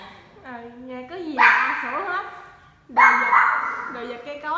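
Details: A pet Pomeranian, said to bark even at an orchid plant, lets out two loud, harsh barks about one and a half seconds apart. People talk in Vietnamese around the barks.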